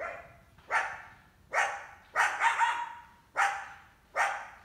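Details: Summer coyote accompanied by a large pup while going after a household cat kept indoors; loud, harsh barks at roughly one per second, one burst doubled into a quick triple, each ringing briefly.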